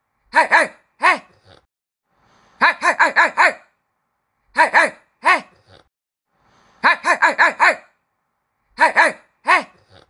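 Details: Puppies barking: high, yappy barks in quick clusters of two to five, separated by short silences, repeated through ten seconds in a quiet indoor setting.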